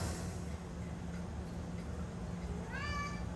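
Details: A cat running from its brother gives a short rising-then-falling harmonic meow near the end, over a low steady hum, with a person talking to it just before.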